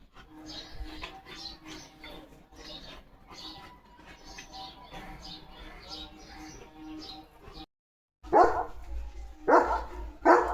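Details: Leo, a German Shepherd village guard dog, reacting to other dogs passing his house. Quiet music and background murmur at first, then three loud, harsh barks spaced about a second apart near the end.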